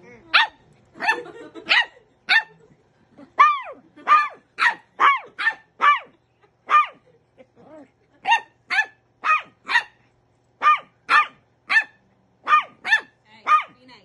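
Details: Pembroke Welsh Corgi puppy yapping at an adult dog during play, wanting it to join in; long run of shrill high barks, mostly evenly spaced about half a second apart, with a brief lull midway.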